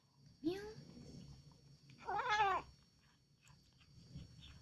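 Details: Cat calling out at feeding time, a sound said to resemble "Alhamdulillah": a short rising cry, then a louder bowed, harmonic meow a second and a half later, then quiet room noise.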